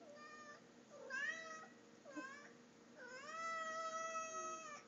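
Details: Pet cat Tommy chatting with its owner indoors after being fed, three rising meows in quick succession followed by a long, strong, steady meow with rich harmonics.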